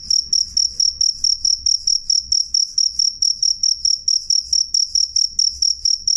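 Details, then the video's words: Cricket, called jangkrik, giving clear loud chirps: short, high, ringing pulses repeated evenly more than twice each second, faint low noise underneath. "suara jangkrik jernih keras"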